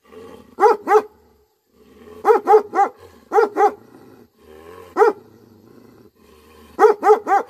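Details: Angry barking from a Tibetan Mastiff (Bhote Kukur). Deep, resonant barks come in short clusters of one to three, each bark a falling, harmonic boom, with brief quiet gaps between the bursts.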